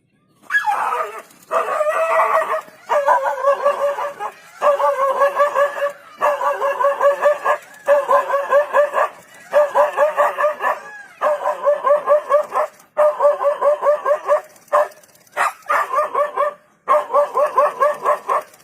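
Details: Dog (Canis familiaris), barking.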